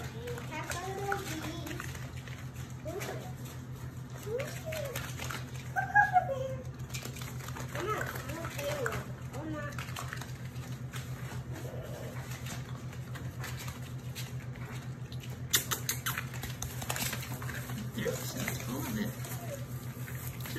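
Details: Litter of German Shepherd, Labrador and Rottweiler mix puppies giving short arching whines and squeaks, scattered through the recording, over a steady low electrical hum and occasional human voices.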